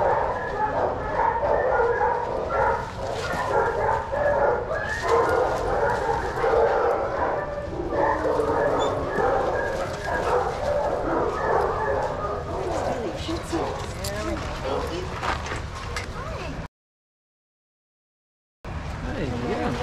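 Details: Several shelter dogs playing together in an outdoor yard at Pima Animal Care Center, Arizona, bark almost nonstop in fast, overlapping volleys of yaps and yips, a busy chorus that drops out briefly near the end before resuming.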